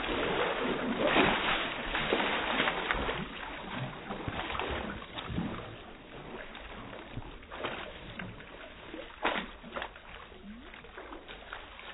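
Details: Water splashes and sloshes throughout, with faint voices in the background and no clear animal call.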